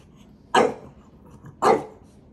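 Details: Little puppy pestering his older brother with two short, punchy barks about one second apart, each a single loud burst fading quickly, with near silence around them.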